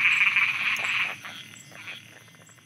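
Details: Night frogs in Thailand: a loud shrill chorus fades after about one second, leaving a handful of short, low, separate croaks that soften toward the end.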